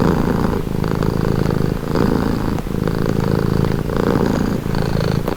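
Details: Domestic cat giving a loud, continuous purr, its buzzing low rumble pulsing with each inhale and exhale about every second, a faint tick near the middle and end.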